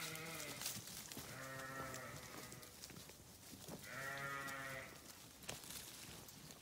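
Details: Two drawn-out, quavering sheep bleats about three seconds apart, each lasting under a second, over a steady background hiss with a faint shorter call at the start.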